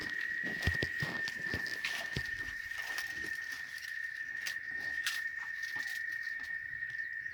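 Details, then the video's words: Cicadas on a cattle ranch in Oaxaca, a continuous steady high-pitched whine holding one tone throughout, over faint rustling and scattered soft taps. "El Sonido De Las Chicharras"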